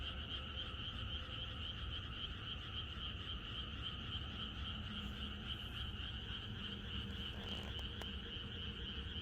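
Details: Frogs chorusing in the countryside on the night before rain, a dense, unbroken pulsing din with two steady bright bands of massed calls and a low rumble underneath, plus a couple of sharp clicks near the end.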